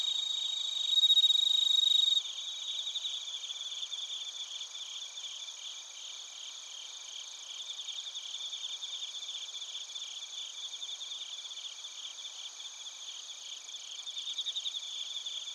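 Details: Insect chorus of bell crickets and crickets recorded in Narita, Chiba Prefecture: a brief loud ringing note at the start, then continuous high pulsing trills, about four pulses per second, layered over sustained shrill tones.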